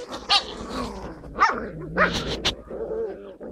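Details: High-pitched yips and little barks from Skye Terrier puppies, recorded 5 June 2016. Short calls come in quick succession, some rising then falling, with a soft whimper near the end.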